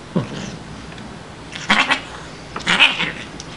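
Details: Playful female Siamese cat Shiloh, rescued as a kitten from a grocery store loading dock, gives a brief low growl then two harsh breathy hisses while scratching at an arm indoors.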